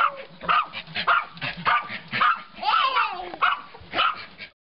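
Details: Three puppies indoors barking at a stray dog outside; rapid, overlapping high yappy barks, roughly eight bursts in under five seconds, some shrill and whining at the edges, with no pause between volleys.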